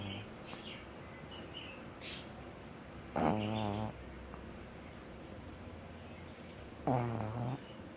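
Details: Olive the pug asleep and snoring: two loud, rattling, buzzy snores roughly four seconds apart, each lasting under a second, with faint bird chirps twittering in the background between them.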